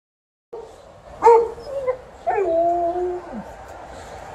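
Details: An Alaskan Malamute singing together with a Golden Retriever: drawn-out howls that rise, waver and hold, one voice gliding up sharply before settling into a long sustained note that drops away at the end, with overlapping yips.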